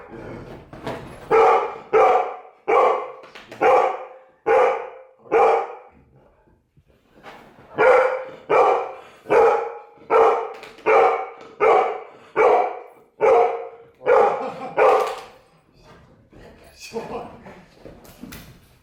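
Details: Golden retriever barking excitedly after a sneeze. A long run of about seventeen loud, gruff barks, roughly one every second, has a short break in the middle. The barking tails off into softer yips at the end.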